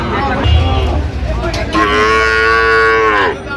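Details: Sahiwal bull calf bought by a farmer in Chattogram, Bangladesh, on 31 October 2025: one long, steady, low moo lasting over a second, rich in even harmonics, after a stretch of people talking and background crowd noise.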